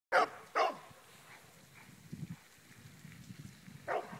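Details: English Springer Spaniel playing at home, bred in Connecticut: two sharp, loud barks in quick succession, then a quiet stretch with soft low rumbles and shuffling, then a third bark near the end.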